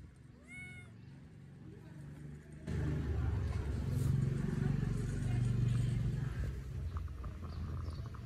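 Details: A single clear, arched meow rings out near the start from a hungry kitten begging for food, followed by silence and then a loud, low rumbling noise that fills the rest of the recording.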